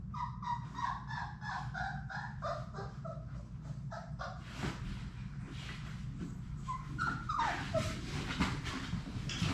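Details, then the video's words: Six Labrador Retriever puppies of Sadie's litter at play indoors in a puppy play room: a run of short, high whimpering yelps repeated rapidly over the first three seconds, then scattered squeaks, over steady low room rumble and scuffling. "Labrador puppies at play!"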